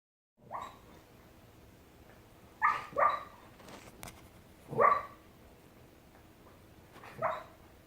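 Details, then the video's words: Coco, a nine-year-old brown cockapoo, dreams in her sleep, letting out short muffled woofs and yips, some doubled, spaced a second or two apart over a quiet indoor background. "Dog's DREAMING and SNORING"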